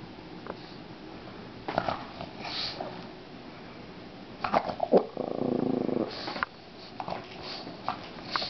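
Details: Pet pug Olive plays with a toy flower in a small room. Scattered sniffs and rustles build to a steady, buzzy, growl-like snort about one second long, followed by more quick snuffles.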